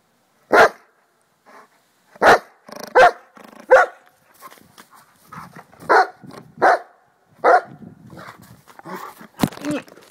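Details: An excited schnauzer barks and yips rapidly, loud bursts coming about every second at first, then softer, rougher barks and whines toward the end.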